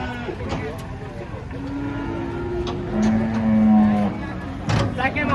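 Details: A large, aggressive cow coming down off a truck gives a long, low, steady moo lasting a couple of seconds, set against engine rumble and brief human voices.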